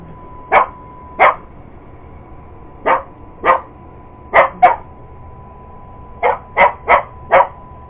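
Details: A sister's purebred Cocker Spaniel goes after an iRobot Roomba, barking in sharp bursts, mostly pairs with pauses between and a quick run of four near the end, the robot vacuum droning steadily throughout.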